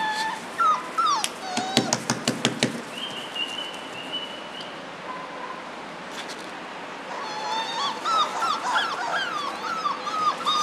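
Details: A litter of German Shorthaired Pointer puppies at four weeks old: scattered yips and soft thumps early, a steady thin whine near the middle, then a busy overlapping chorus of high, wavering whimpers building toward the end.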